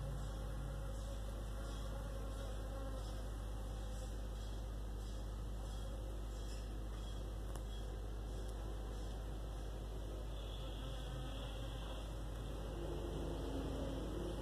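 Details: Western honey bees (Apis mellifera) hum with a low, steady wing buzz.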